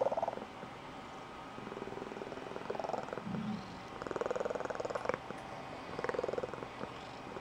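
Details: Blue Point Tonkinese cat, an adult female, purring at home with a squeaky high-pitched trill; soft pulsed purring comes in bursts with brief rising chirps, quiet stretches between them.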